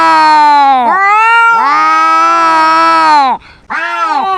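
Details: Domestic cat in a shouting match with a louder rival, letting out long, strained meows that swoop upward, hold a sustained wail, then drop off. After a short gap, a fresh cry starts.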